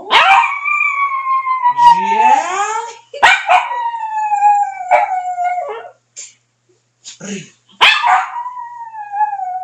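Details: Dog howls on command in a run of long, wavering notes that glide downward, several howls in a row separated by brief pauses, with a few short human voice sounds between them.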